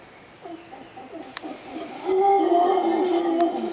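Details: Howler monkeys in Costa Rica, Arenal Observatory Lodge: soft guttural grunts build into a louder, sustained throaty roar during the second half, with a thin steady insect tone running above.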